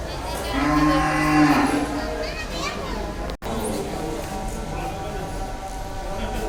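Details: A very large Damur cow, a heavyweight animal shown at a cattle farm for Qurbani 2022 in Bangladesh, gives a low sustained moo for about a second, over crowd chatter and background noise.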